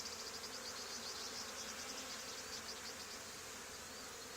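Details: A swarm of honey bees settling on the wall of an old barn where a hive was removed two days earlier, heard as a continuous, even, humming buzz with faint flickering pulses at the top.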